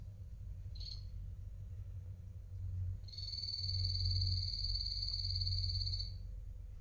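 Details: A pet guinea pig, one of two adult males named Coffee and Toffee, feeding: a short high chirp near the start, then a long, even, high whistled tone for about three seconds, over a steady low hum.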